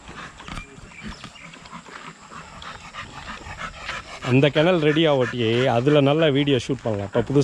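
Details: Young Rottweilers in a kennel exercise yard: after a few seconds of low rustling and scattered noise, a loud drawn-out wavering howl rises and falls for about three seconds, ending in short broken notes.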